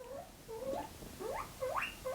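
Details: A pet guinea pig gives a run of rising, whistled squeaks indoors, calling out for food; the owner says they squeak when hungry as soon as she talks to a camera.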